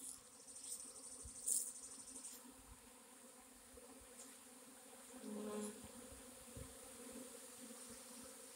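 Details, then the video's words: Swarm of honey bees, recorded on 26 April 2021: a steady, low, humming drone that holds an even pitch throughout, with a few individual bees buzzing closer past the microphone and some faint clicks. "Honey bee swarm"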